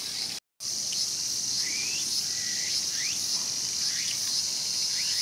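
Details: Showa Kinen Park, Tokyo, 2020, beside a mantis devouring a cicada: after a short gap, an intense high cicada buzz continues with repeated quick rising chirps scattered through it.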